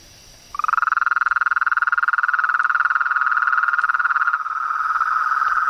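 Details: Frogs in the wild, one starting a loud, fast, even pulsed trill that runs without break for five seconds, a second trill overlapping toward the end, with a thin high steady tone in the background.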